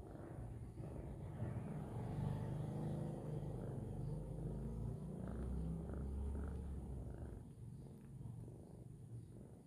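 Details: Domestic cat purring while kneading, making biscuits; a low, steady rumbling purr runs through the whole stretch with a fine rapid pulse, swelling slightly in the middle and fading toward the end.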